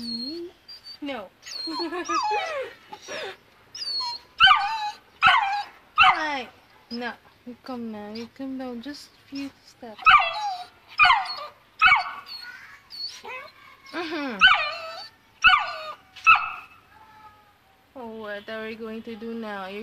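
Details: Afraid to walk down stairs, a two-month-old Saint Bernard puppy whines and yips repeatedly, roughly once a second, with falling and wavering cries interleaved with a person urging it to come down.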